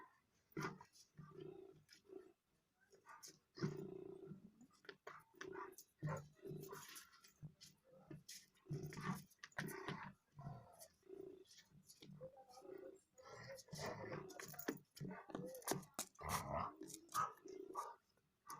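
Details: A Rottweiler playing with its owner gives deep, rumbling growls and gruff vocal bursts in quick, uneven succession.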